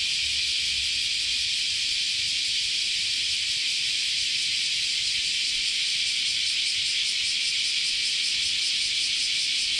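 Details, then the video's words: Continuous chorus of cicadas in a Japanese summer at Chionji Temple, Kyoto: a dense, steady high shrilling with faint rapid pulsing throughout, and a soft low rumble at the start. "Sounds of Japanese Summer, Continuous Chorus of Cicadas"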